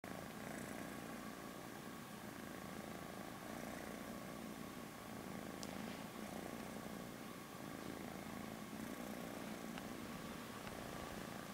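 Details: Small male cat purring while cleaning his fur, a steady low rumbling purr running unbroken through the whole stretch, with a faint sharp tick near the middle and quiet room hiss behind.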